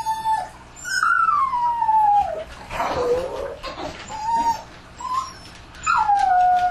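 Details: Dogs howling at night, an ambient recording: long falling howls alternate with short flat whines, a brief noisy burst in the middle, then a high howl that glides down and holds.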